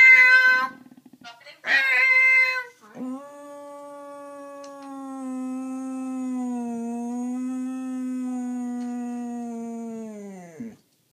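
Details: Dog reacting to a meowing noise: a person's voice, then one drawn-out, even howl lasting nearly eight seconds, dipping slightly in pitch midway and ending abruptly.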